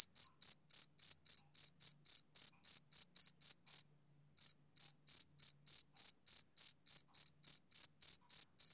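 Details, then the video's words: Rhythmic high chirps of a male cricket, about seventeen in quick succession, a short break, then roughly sixteen more at the same brisk pace. Nothing else audible. "Cricket Chirping Sound Effect"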